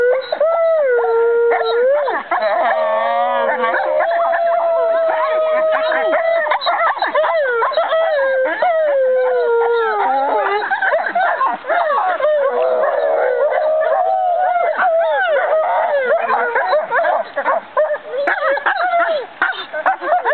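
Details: Five American wolfdogs, all siblings or half-siblings, howl together in a chorus dated 5.11.2011. Several long, overlapping, wavering tones slide up and down and weave around each other continuously for the full twenty seconds.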